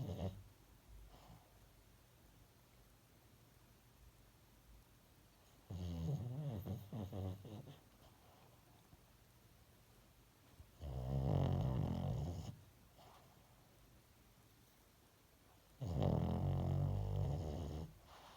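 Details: Pet dog asleep and snoring, three long rumbling snore bouts of about two seconds each, spaced roughly five seconds apart, low and rattly, with quiet breathing pauses between them.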